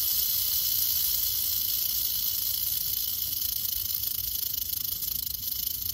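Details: Western diamondback rattlesnake rattling at the person filming it out of curiosity; a constant, dry, high-pitched buzz like frying fat that holds strong, easing slightly in volume toward the end.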